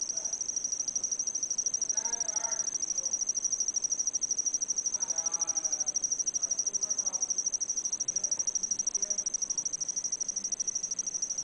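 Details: An insect sings a steady, high, shimmering trill, described as a love song, pulsing about twice a second while people talk quietly nearby.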